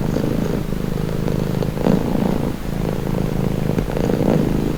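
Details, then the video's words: Low, even cat purring, a soft throbbing rumble rising slightly in two breath swells near the middle and end. "Purring cat"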